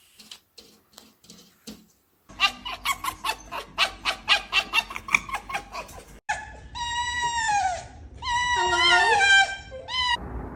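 A fox makes a fast run of harsh, stuttering chatter, then breaks into high, wailing whines with strong overtones that bend up and down. A person's voice is heard briefly indoors.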